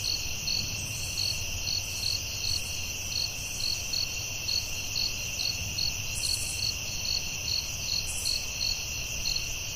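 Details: In a nighttime forest, crickets produce an unbroken shrill whine and a steady pulse of short chirps, about two or three each second, with occasional brief higher rasps.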